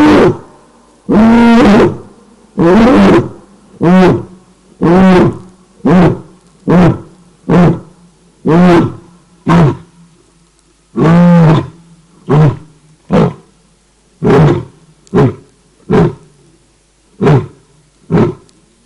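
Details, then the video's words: Lioness at night at Cat Eye pan, Naledi Game Lodge, greater Kruger National Park, waking from a nap to call her pride: a series of deep grunting roars, long moans first, then shorter grunts spaced about a second apart, fading toward the end. "Lioness Calls For Pride During The Night"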